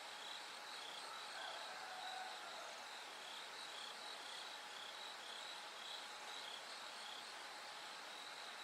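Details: Bell cricket singing through the night into dawn. High tinkling pulses repeat roughly twice a second in loose runs, set in a thick bed of other insect sound with a low steady drone.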